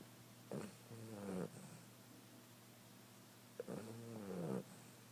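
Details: Sleeping female cat snoring softly: two drawn-out, buzzy, harmonic breaths about three seconds apart, quiet against a faint room hiss.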